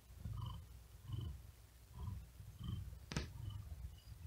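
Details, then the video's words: Tired domestic cat resting and sleeping on a wooden desk in great heat, breathing quickly and with effort while purring: low rumbling pulses about twice per second, with one sharp brief click near the end. "Asmr Cat Purring And Whispering Sound"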